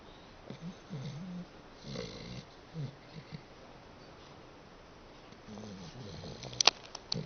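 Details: Dachshund snoring indoors: low, rumbling snores in bursts of about a second, each followed by a pause, with a few sharp clicks near the end.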